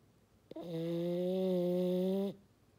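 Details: French Bulldog Maddi letting out one long fog-horn snore, a steady, low, buzzy tone with rich harmonics lasting almost two seconds, starting after a brief click.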